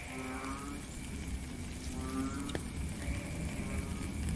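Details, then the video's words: Frogs calling in the rain, recorded in nature: short, low, moaning calls with rich overtones, several in a row from more than one caller at slightly different pitches, over a steady hiss of falling rain. "Frog and Rain"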